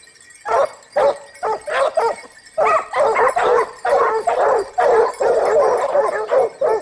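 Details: Close, loud baying from the Topsfield Lebrera Basset Hound pack hunting in Spain in 2015-16, its second season: a few separate bays, then a continuous crowded chorus of overlapping hound cries.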